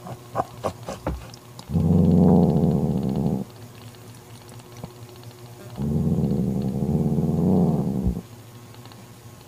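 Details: Domestic cat Mocha, a mother defending her newborn kitten, growls to drive off her sister Kofi; two sustained low rumbling growls of about two seconds each, separated by a quiet gap with faint handling noises.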